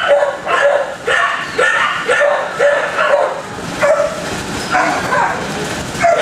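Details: Several dogs in kennels barking, distinct rough barks repeated about once a second over a background of further barking and yelping.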